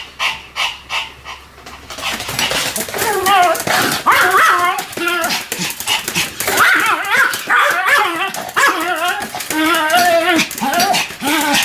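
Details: Sam and Marin, two Pomeranians, bark in a duet. A few soft puffs come first, then a steady run of high yaps braided with quavering, sing-song wails that bend up and down.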